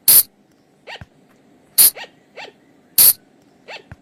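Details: Night lure sound of the flying lemur from the forest. Loud, hissing shrieks come about every second and a half, each followed by softer, short, up-and-down squeaky notes, with a quiet background hum.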